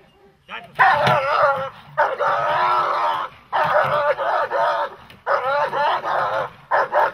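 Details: Dog, a German Shepherd or Malinois, during protection training, giving long harsh harmonic barks in about four sustained bursts close together, each nearly a second long, with faint voices underneath.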